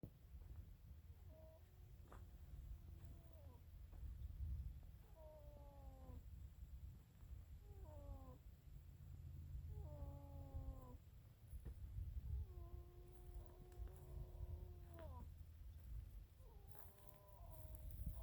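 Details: Baby donkey snoring in deep sleep, which can sound like a donkey in trouble: wavering, whining tonal groans with falling pitch bends, repeated about every two to three seconds over a steady low rumbling breath noise.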